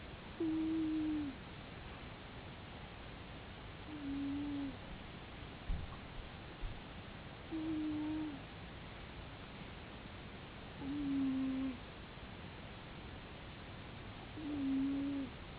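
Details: Cat snoring: a soft, level whistling note with a slight downward slide at the end of each breath, repeated about every three and a half seconds, five times in all, over a faint steady hiss.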